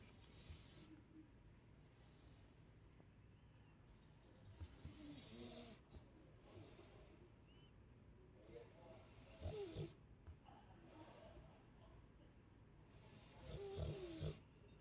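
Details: Chow Chow named Sasha snoring in sleep: slow, breathy, rasping snores with hissing exhales recurring roughly every four to five seconds, near-quiet breathing between them.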